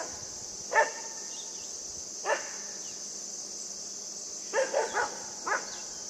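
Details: Puppy at play with a buck, giving scattered single yaps and then a quick run of three or four barks near the end, with a constant high hiss in the background.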